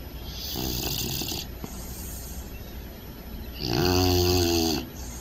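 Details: A snoring puppy sleeping soundly gives two rattling, buzzy breaths, the second louder and more tonal with a vibrating drone, separated by a quieter exhale.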